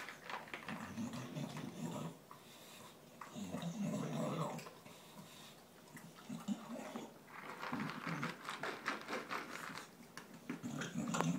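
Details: Gavin, a dog, gulping his dinner ahead of the other dogs in the household, gives several low throaty growls in bursts over eleven seconds, mixed with wet chewing, licking and clattering eating sounds.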